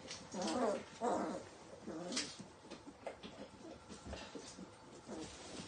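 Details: Four-week-old Hungarian Vizsla puppies whimper and squeal in short, wavering, high-pitched cries.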